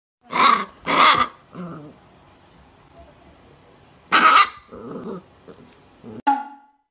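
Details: Shiba Inu puppy named Koma, a pet in a home, angry while being towel-dried after a shampoo it dislikes: two sharp, loud yaps, low growling, a third bark near four seconds, then more growls and a short yelp.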